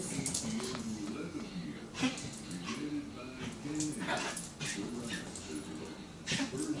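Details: A small female rescued cream Pomeranian, playing with a hookless fishing line, gives high, thin yips and whines while people talk in Spanish nearby.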